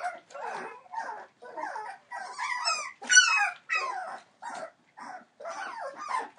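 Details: Entlebucher Mountain Dog puppies, 21 days old, from the litter of Aisha Princess of Beauty (Shadow) and Falk vom Kornried born 28 December 2013, giving overlapping short squeaky whines and rising-falling whimpers, some louder yelps midway.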